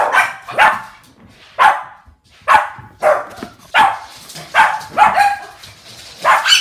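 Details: Pet Shih Tzu dogs, a pack, excitedly playing with balloons indoors during rainy British weather; loud high barks repeated roughly every half second to second, singly and in pairs, clear and dominant.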